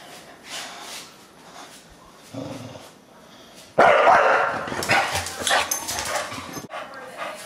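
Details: Deisal, a bulldog who hates the camera, gives faint grumbles and then a sudden loud, rasping bark-growl outburst that tails off into rougher snarling noises.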